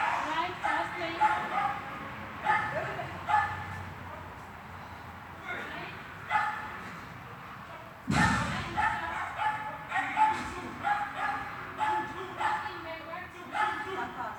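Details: A Swiss dog barks at heelwork training indoors in a hall, 13 August 2021. Frequent sharp barks recur roughly every second, in clusters, with reverberation from the room, a loud knock midway, and voices in the background.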